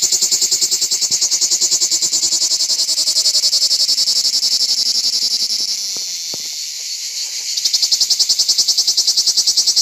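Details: Lyristes plebejus cicada singing on an olive tree on an organic farm: a loud, high, grating buzz pulsing rapidly about three to four times a second, dipping slightly mid-song before surging again.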